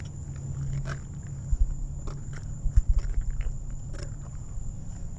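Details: An 18-year-old lion at Big Cat Rescue, coaxed into eating, crunches a leg bone: irregular bursts of cracking, snapping chews with low rumbling between them, over a steady deep hum and a constant high-pitched whine.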